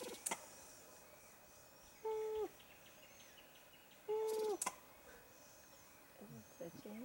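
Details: At Kirindy, Madagascar, a Verreaux's sifaka gives two drawn-out nasal calls, each ending in a downward slide, with sharp knocks nearby.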